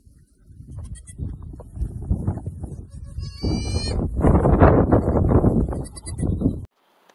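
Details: Noisy baby goats bleating over and over in quick, overlapping bursts that grow louder toward the end, over a heavy low rumble.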